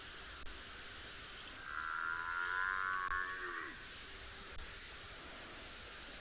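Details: An African buffalo in a herd at Tswalu Kalahari Reserve, South Africa, on a chilly 10 July sunrise gives a drawn-out, moaning bellow that sags in pitch, possibly young complaining about not getting milk.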